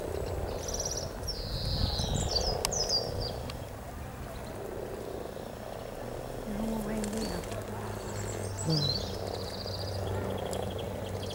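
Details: Hundreds of frogs mating beside the river at Cow Tower on a Norwich riverside walk, 7 April 2013: a dense, grainy mid-pitched croaking chorus hums steadily, with bright twittering birdsong above and a low rumble beneath.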